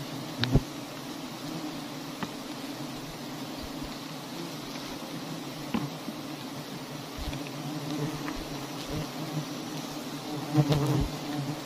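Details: Honey bees at large hives hanging in a tree in a palm garden, giving a steady low droning hum throughout, with scattered sharp clicks and taps.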